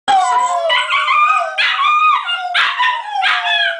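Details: Border Terrier singing while having fun with its owner, giving a continuous wavering howl with quavering, slightly rising and falling tones broken into four or five swelling phrases over about four seconds.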